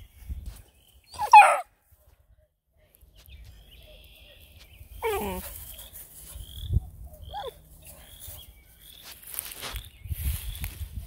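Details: Bluetick Coonhound puppies at an Ontario, Canada breeder react to someone sneaking up silently: sharp, high, falling yelps at about one, five and seven seconds, separated by quiet stretches, with faint high chirps and rustling between them.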